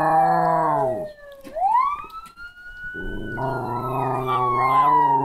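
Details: Jack Chi pet dog named Tuco howling in response to a siren, going from sleepy to full alert. A rich, layered howl slides downward, then a sustained, slightly wavering howl returns over a loud siren wail that rises and falls.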